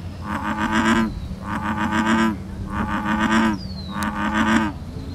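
An American bullfrog gives a series of deep, throbbing, pulsed croaks about once every second.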